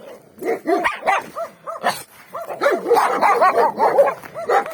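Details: Several free-range dogs barking on a street in winter, some behind a fence; overlapping, rapid barks from more than one dog, irregular and building into a dense chorus in the second half.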